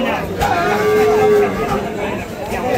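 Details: Dairy cow at the Kaharol cattle market in Dinajpur, Bangladesh, where improved-breed milk cows are sold with calves; one steady, drawn-out low moo lasting about a second amid market chatter and people talking.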